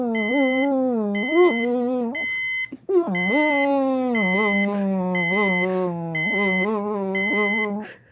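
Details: A pit bull answers an alarm going off with near-continuous drawn-out howls, each sliding up and then easing down, with brief breaks. Steady, evenly spaced electronic beeps sound throughout.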